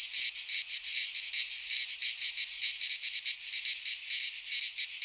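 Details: Cicadas singing in midsummer in a Greek pine forest: a dense, continuous buzzing shrill held high, pulsing in quick throbs several times a second, with no other sounds standing out.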